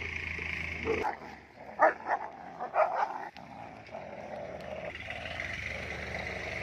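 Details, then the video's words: Double-coated and single-coated German Shepherds squabbling, a pair that habitually tries to fight; a few sharp, loud barks burst out in quick succession, then a steady low snarling growl carries on. "Double coat vs single coat German Shepherds fight"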